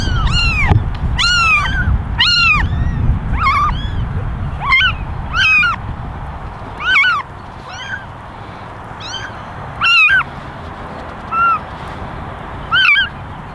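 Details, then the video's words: A basket of eleven kittens, ten ginger and one white, meowing for attention; a dense run of short arched meows at the start, then single calls spaced a second or two apart, with low rumbling handling noise underneath. "Basket of 11 Meowing Kittens"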